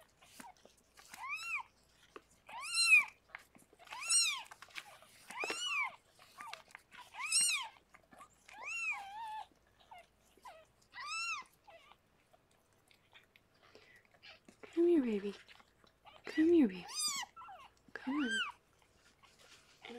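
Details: Rescued cat Harlequin during the birth of her six kittens: loud, clear, arched meows in a regular run, then lower, shorter, rougher cries near the end, in a quiet indoor room.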